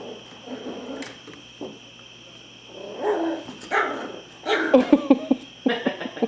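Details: New puppy Heidi, a female, at play with another dog, biting at his ear; short high yips and whimpering bursts come in a cluster near the end, mixed with people talking and laughing.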